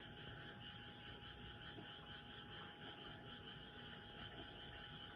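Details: Many frogs calling at night, loud enough to drown out a house cat, form a steady dense chorus: continuous trilling bands high in pitch with no pauses, over a low background hum.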